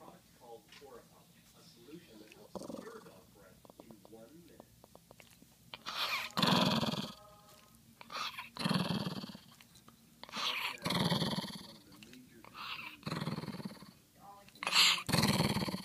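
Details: A white female toy poodle, angry at being woken from her sleep, first gives low rumbling growls, then loud barks in bursts about every two seconds from six seconds onward.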